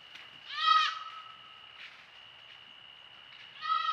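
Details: White-tailed deer fawn, a newborn, chased by a coyote past a woodland trail camera: two loud, strained, nasal bleats about three seconds apart, each briefly rising then falling, with a thin steady high whine running underneath.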